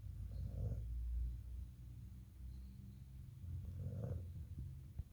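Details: A pet Rottweiler snores while asleep in deep, rumbling low breaths with a soft rasp on each inhale.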